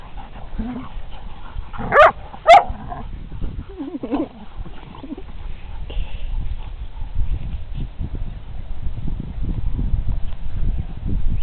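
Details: Two Briards, Molly at 18 months and Fred at 7 months, playing on the green outdoors; two sharp, loud barks in quick succession, then a short wavering whine, followed by low rustling and thumping movement noise.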